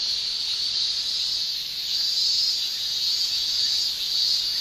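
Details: Summer shrilling of male Japanese cicadas, tymbal song from Japan: an unbroken high-pitched drone with gentle surges in loudness, one dense chorus filling the whole stretch.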